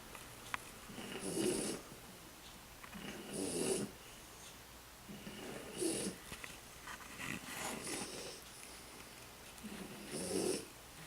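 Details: A tired French Bulldog snores in slow, rasping breaths, each rattling snort coming about every two seconds.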